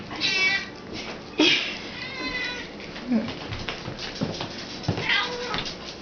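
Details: Siamese cat and another cat meowing as canned cat food is served indoors; several drawn-out meows with a rising, wavering tone, mixed with a woman's talking and faint music.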